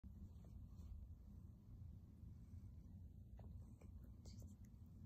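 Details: Baji, a silver grey male kitty, purring on his owner's lap while kneading a comfy blanket indoors; a continuous low rumbling purr with faint soft clicks and rustles above it.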